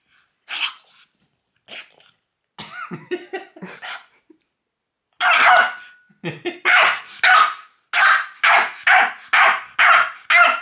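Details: Loki, a pet French bulldog, reacts to someone pointing fingers at him with a string of barks: a few scattered yaps and growly grumbles, then loud, rapid, evenly repeated barks about twice per second.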